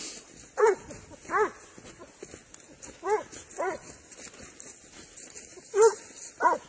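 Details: Spanish hound following a wild boar trail, giving six loud, ringing barks spaced unevenly across the stretch, with quiet rustling background between them.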